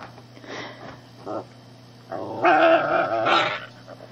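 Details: Shih tzu puppy harassing the family cat, which puts up with it; two soft grumbles open, then a loud, sustained, strained growl-whine lasting over a second, with a steady background hum.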